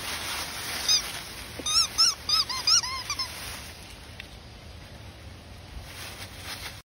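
Cairn Terrier puppies give a quick run of high, thin, arching squeaks, then fall quiet.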